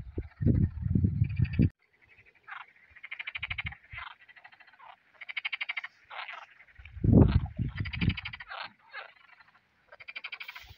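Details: A chorus of frogs at a pond where crucian carp are being fished begins singing as the sun comes out, with rapid, rattling pulsed trills that overlap and repeat throughout.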